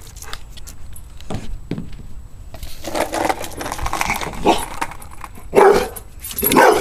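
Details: Domestic dog reacting to skateboards with barks: a few soft barks early, then a noisy busy stretch ending in two louder barks.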